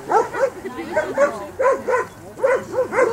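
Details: Brutus, a Landseer at water rescue training in the Czech Republic, barks in rapid pairs of sharp, mid-pitched yelping barks, about four per second, with the background otherwise quiet.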